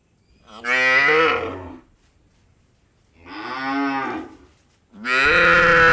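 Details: Cows on an Indian dairy farm: three loud, drawn-out moos about a second long each, with rich harmonics and gaps of near silence between them. The last call swells sharply at the close.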